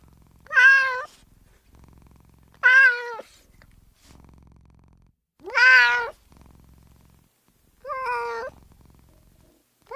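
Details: Margot, a female domestic cat, meowing, with recorded meows meant to attract and provoke a response from other cats; four harmonic meows spaced about two seconds apart, the third loudest and bending upward, over a faint low hum.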